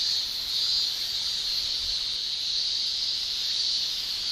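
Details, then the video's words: In Japan in summer, male cicadas shrill using their tymbal organs, giving an even, high, buzzing hiss with slight swelling around the middle and no breaks. "Japan Summer Cicada Shrilling"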